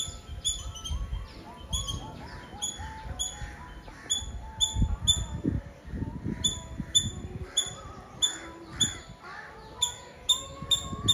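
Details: Squirrel from Nazareth, Tamil Nadu, India, repeating piercing short chirps in clustered runs with brief pauses, set against gentle background music and some low thumping noise.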